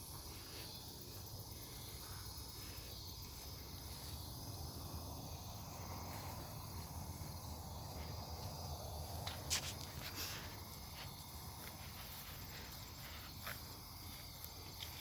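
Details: Night insects called cicadas sing in woods beside a farm in Omaha, Nebraska, 08 03 2021: continuous high-pitched whirring bands, a few sharp clicks near the middle, and a rumbling low background hum.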